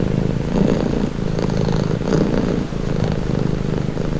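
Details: Calming purr of a domestic cat: a close, low, buzzing rumble that swells and softens with inhale and exhale, with a short dip in loudness near the end.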